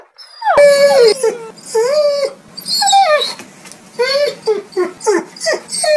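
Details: Dogs barking angrily: loud rough barks and falling yelps in rapid succession, the last few coming as quick regular bursts about twice a second.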